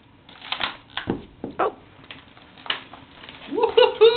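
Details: A French Bulldog with a new bone on Christmas morning gives a rising, nasal whine among snuffling bursts, with a person talking nearby. French Bulldog (Canis lupus familiaris), whine.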